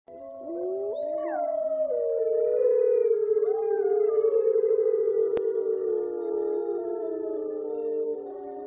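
Several wolves howl together in long, smooth, wavering tones that slide and overlap.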